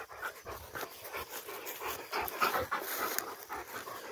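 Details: Rottweiler panting during a descent from a tower with two of the breed. Quick, steady, airy huffs repeat at about three per second, soft and hissing, with no other sounds standing out.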